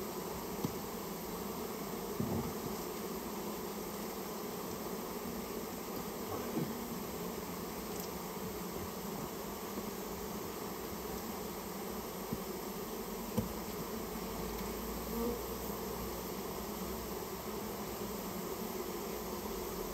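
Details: Many Japanese honey bees from a colony nesting in a storehouse, heard during its removal. They make a continuous, even buzzing drone throughout, with a few soft clicks and taps scattered through it.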